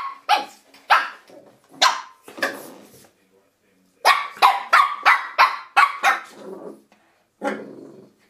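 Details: Shih Tzu puppy Misty attacking a door stop: bursts of shrill, yappy barks in irregular clusters, a brief pause, then a rapid string of about six barks and a final softer growl.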